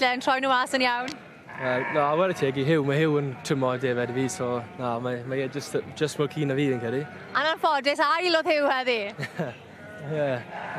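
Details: Torddu sheep giving a long run of tremulous, wobbling bleats that overlap one another, loudest near the start and again toward the end, with a man's voice mixed in.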